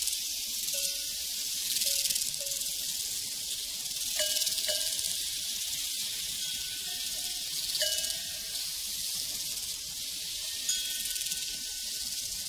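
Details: On a prairie, crickets keep up a continuous high, pulsing chirping chorus while cowbells clank now and then, sometimes in quick clusters of rings.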